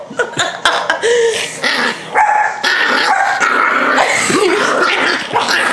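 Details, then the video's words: Pet Yorkshire Terrier named Rocky, tickled and held up against a woman's knees, going wild in protest: rapid yelping yips, short barks and whiny rising squeals tumbling over each other in a continuous flurry, about two per second. "Yorkie Does Not Like To Be Held Or Tickled!"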